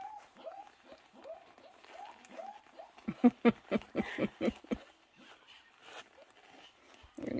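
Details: Two-week-old Pomeranian puppies from the Peeky x Remi litter, a cream and a white pup: a series of about seven thin, falling squeaks repeated roughly every half second, followed by loud bursts of human laughter and voices.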